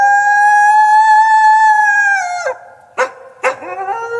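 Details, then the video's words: Drawn-out wolf howl held level on a clear, harmonic-rich tone for over two seconds, then dropping, followed by two short abrupt howl bursts and a lower closing note. "WOLF SOUNDS! What is the sound of wolf?"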